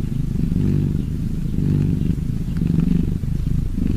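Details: Purring cats: a steady low, buzzy rumble with rich harmonic bands, swelling and easing roughly once a second with each breath, no other sounds clear.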